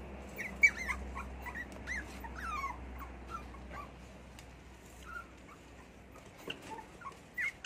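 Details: Little poodle kept as a pet, whimpering indoors after it jumped up and fell down: a cluster of faint, nasal, whiny slides in the first three seconds, then sparse soft squeaks over a low background drone.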